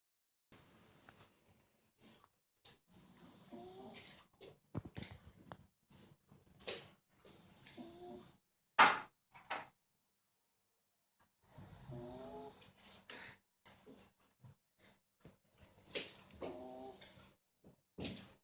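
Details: Domestic cat named Marusya snoring indoors: raspy, breathy snores with a faint rising tonal whine, several breaths spread over the recording, broken by sharp clicks, rustles and quiet gaps.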